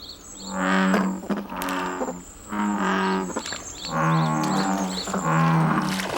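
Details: American bullfrogs at Okdong reservoir, Hwasun, South Jeollanam-do, 1997, give deep, droning calls, four rich cow-like lowing notes about a second each, with faint background hiss; American bullfrog.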